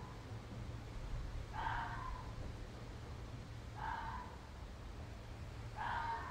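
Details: A red fox calls with harsh, hoarse, wailing cries about half a second long, dipping at the end, every two seconds, sounding like someone being stabbed, over a steady low background rumble.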